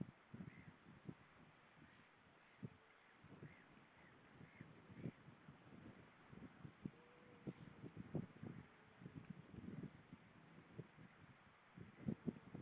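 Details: Seal singing underwater, recorded 10 April 2013 at about 07:21 in the morning: low knocks, grunting pulses and a few drawn-out tonal moans.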